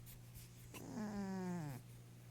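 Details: An 11-year-old female Maine Coon cat with hyperthyroidism and kidney disease snores and dreams in her sleep, giving one low, drawn-out moan that slides gently downward in pitch.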